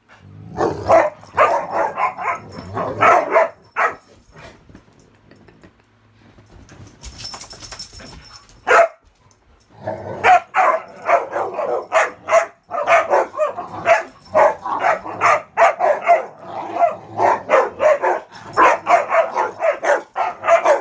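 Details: Dogs Ravyn, Kyla and Knight playing king of the hill on a bed indoors on a muddy day, Ravyn giving her rare high-toned playing bark; rapid bursts of sharp barks, a quiet scuffling pause midway, then dense barking resumes.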